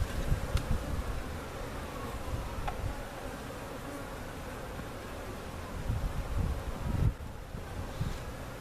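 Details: Honey bees from a giant cutout hive being placed in their permanent spot at Jerome Bee Farm, Central Oklahoma, recorded on a camcorder: a steady low hum with sliding tones of passing fliers, under strong low rumble and knocks.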